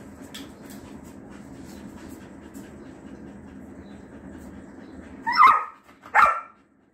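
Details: A female Rottweiler at play gives two deep, loud barks close together in a playful mood, after a steady low hum.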